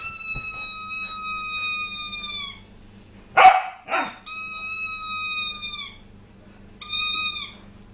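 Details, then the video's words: Puppy named Tessa, described as crazy, whining with long steady high-pitched tones that hold level then dip at the end, broken by two short sharp yips in the middle, over a faint electrical hum. "Tessa The Crazy Puppy"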